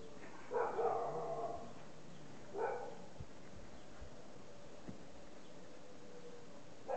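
Golden Retriever puppy gives a drawn-out whining yelp, then two brief whimpers over a low background hum.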